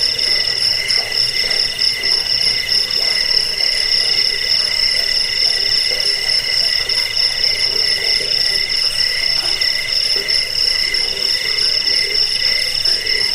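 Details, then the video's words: Crickets, the jangkrik of a bird-training and rat-repelling track: many insects trilling together in high, steady, layered tones with quick pulsing, joined by sporadic deeper calls beneath a uniform wall of sound. "Suara jangkik"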